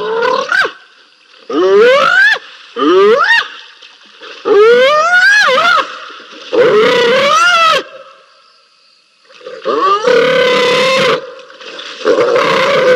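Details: Spotted hyenas fighting at Rosie's Pan, a pair caught on a live camera in November: loud upward-sliding whoops and wailing squeals, about seven bursts with short gaps, harmonics climbing steeply, one longer wavering cry near the end.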